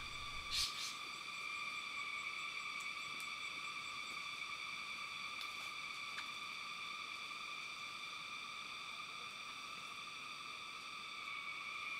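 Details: A steady, high electronic whine with evenly spaced overtones runs throughout, broken only by a couple of brief clicks, with no animal calls.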